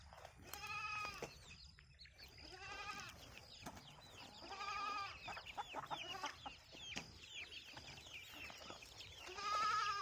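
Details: Goats on a farm where chickens also graze, giving several bleats, each a rough, wavering, harmonic-rich cry about half a second long, repeated at uneven intervals over ten seconds, with hens clucking and a man speaking Marathi nearby.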